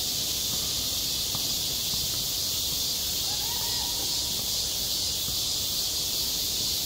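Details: Summer cicada chorus over a school playground, a steady shrill buzz holding without pause, with one faint, brief call in the middle.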